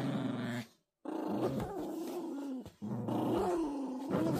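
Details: Toy Poodle puppies playing tug-of-war, growling steadily in a low, rough, throaty rumble, broken by a short silence near the first second and a brief dip before the growling resumes.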